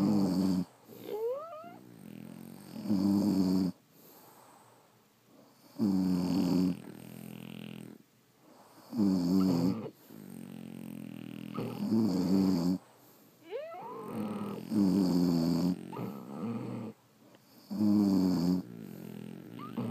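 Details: French Bulldogs asleep, snoring in a steady rhythm: rattling harmonic inhalations about three times per ten seconds, occasional thin rising whistles, faint low hum between snores.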